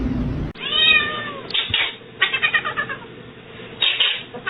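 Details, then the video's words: Kitten with a short wavering meow near the start, followed by a run of quick scratchy clicks and rustling in a small indoor space. "Kitten meowing"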